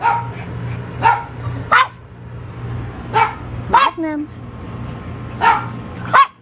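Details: A dog letting out short single barks every second or so, with a squeaky rising yip near the middle and a constant low hum underneath.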